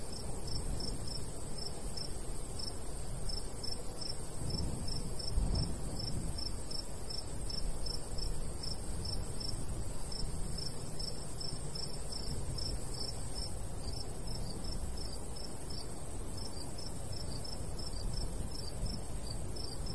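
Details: Countryside crickets in summer by a golden wheat field keep up a long, rapid series of high, short chirps, a second caller weaving in at times; light breeze murmurs low, with one soft thump midway.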